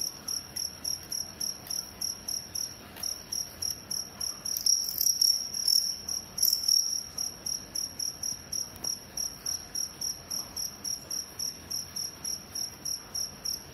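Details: Crickets locked in a fight give rapid, evenly pulsed shrill chirps, about three to four per second, continuing without pause and growing louder and harsher for a few seconds midway.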